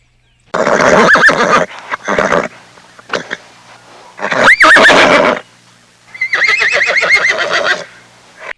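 A horse whinnies three times, loud and breathy, with a high quavering pitch that wavers and falls.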